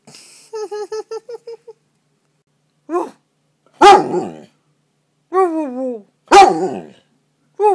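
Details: A pet dog that had crawled under a comforter and could not find its way out gives a run of short quick whines, then drawn-out wavering, harmonic howl-like notes with sharp sniffs or snorts between them, indoors.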